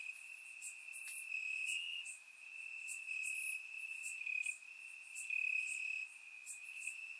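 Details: Warm summer night in Bulgaria, crickets singing in the grass: a continuous shrill trill at a single steady pitch, pulsing softer and louder, overlaid by short higher chirps from neighbouring insects.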